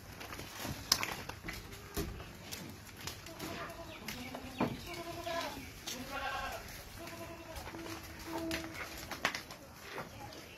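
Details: Boer goats, a meat breed, on a goat farm in Gazipur, Dhaka, Bangladesh; several harmonic, wavering bleats repeat through the middle seconds, with human voices and farm clatter around them.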